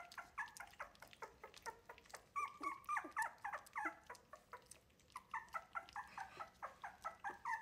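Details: Three-week-old Wire-haired Miniature Dachshund puppies of a litter, learning to take food from a human instead of their mother, unhappy and noisy: dense overlapping high whines and yelps, rapid and continuous, indoors.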